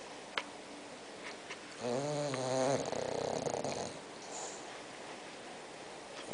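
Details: Spock, a six-month-old pet bulldog, asleep and snoring indoors; a short buzzy, wavering harmonic snore followed by a rougher, noisier exhale, then quiet breathing.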